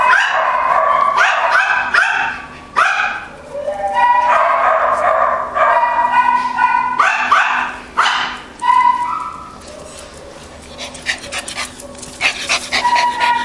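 A Schipperke barks in quick, sharp bursts, with some high yips mixed in.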